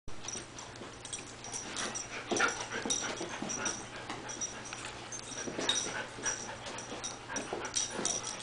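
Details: Small female dog wanting to play with the cat, giving breathy, wheezy whimpers in short, uneven bursts, several a second at times, with faint squeaky yips over a steady low household hum.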